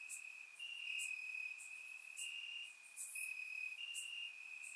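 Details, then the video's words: Night chorus of crickets in Bulgarian grass on a warm summer evening, surround-recorded: an unbroken shrill trill with slightly stronger bursts, overlaid by intermittent very high clicking chirps. "Cricket Sounds - Crickets Chirping at Night"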